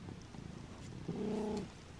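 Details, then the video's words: Butters, a pet cat indoors, gives one short, steady meow lasting about half a second, with a clear low tone and even overtones, over a quiet, muffled room background. "Meowing Cat"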